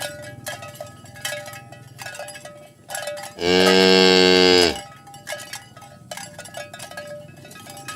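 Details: Herd of village cows driven toward the pen in the morning; a single strong, harsh moo of about a second stands out between clattering footsteps and intermittent clinking bells.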